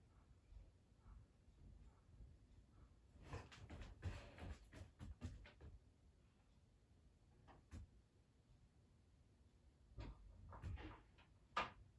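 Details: No animal sound is heard, only quiet indoor room tone with scattered soft clicks, rustles and knocks.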